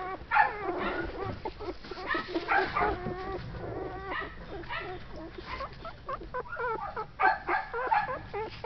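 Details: Shetland Sheepdog puppies from a litter born in June 2012 whining and yipping together, many short squeaky notes that rise and fall, overlapping in rapid bursts throughout, with some low background rumble.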